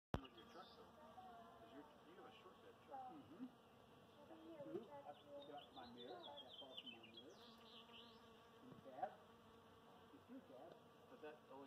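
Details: Honey bees collecting pollen on a buzzing Golden Chain Tree that sounded like a swarm hum with a steady, droning buzz that swells and fades as they pass close.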